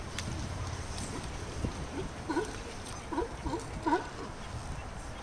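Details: Young sea lions at play in Monterey give short, wavering bleats that rise and fall, bunched in the second half over steady background noise.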